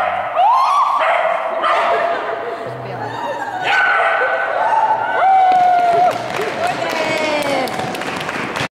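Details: Border Collie Rika (Tending) from Estonia on an agility run at a Tallinn seminar, 3 April 2011, yipping and barking in rapid bursts while a handler calls out commands indoors.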